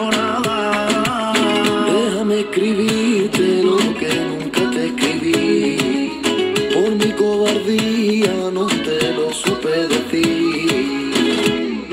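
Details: Flamenco-style guitar music with a singing voice and rhythmic strumming, with no animal sounds.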